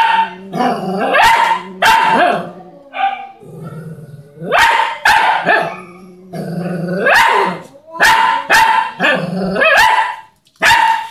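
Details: Dog that keeps annoying the neighbour's cat barks again and again in short bursts, mixing harsh barks with rising whines and low growls, in uneven clusters separated by brief gaps.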